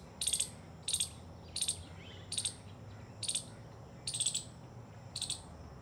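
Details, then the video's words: A squirrel guarding its nest of dry grass and a peacock feather gives alert calls to other squirrels after hearing their alarms: seven sharp, high chirps, about one every three-quarters of a second, over a faint low hum. "Squirrel guarding nest. Squirrel alert sounds."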